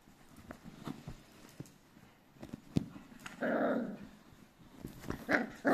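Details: Miniature Schnauzers in a household of nine dogs, four big and five small: scattered clicks and thumps, then a drawn-out low harmonic growl for about half a second, followed near the end by a short, sharp bark.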